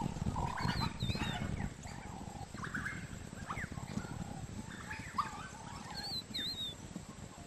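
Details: African wild dogs hunting a buffalo calf give high, squeaky twittering calls over a steady low rumble.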